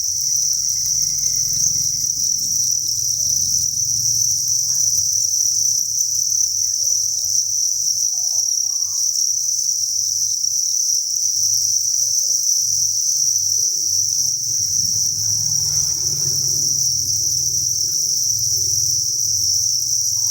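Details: Thousands of crickets in a cricket farm chirp as one unbroken, high, ringing trill, steady throughout, with low background rumble and occasional faint scraping sounds.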